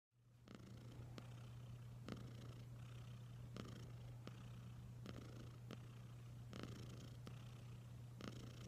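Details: Domestic cat named Wylla Stout purring indoors: a steady, deep low rumble held without a break, with faint scattered clicks over it.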